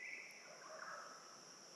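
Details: Crickets in the Fogg Dam wetland conservation area near Darwin, Australia, at about 8:55 in the morning and around 31°C, give a steady, high, shimmering drone on two even tones, with faint bird notes underneath.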